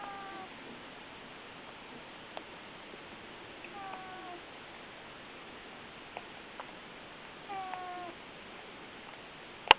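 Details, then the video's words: Mali, a pet cat with a stuffy nose, snoring in her sleep: faint whistling nasal squeaks in short harmonic bursts near the start, middle and toward the end over steady background hiss, with a sharp click at the very end. "Mali snores"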